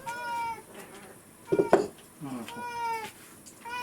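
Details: Rescued cat at home asking for breakfast with repeated 'naan naan' meows: three long, sliding, nasal meows with short pauses, interrupted midway by a brief burst of human voice and rustling.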